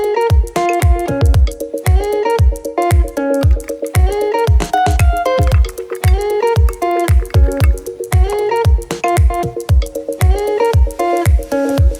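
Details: Upbeat music with a steady bass pulse about every half second and bright plucked guitar-like notes fills the whole stretch, with no animal sound.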